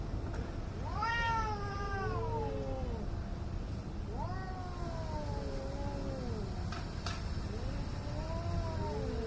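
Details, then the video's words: Angry cats squaring off in a fight, producing three long, bending yowls that rise sharply then slowly slide downward, each lasting about two seconds, with a couple of faint clicks between. "CAT FIGHT ANGRY CATS - Making weird noise"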